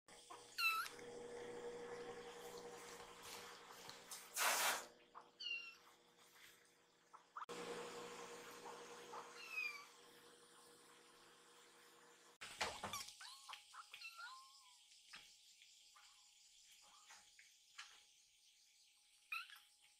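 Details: Rescued baby kittens, two of them, noticing a good smell and rushing toward food, asking for more milk after eating; a few short high mews scattered among clattering handling noises, thumps and indoor room sounds.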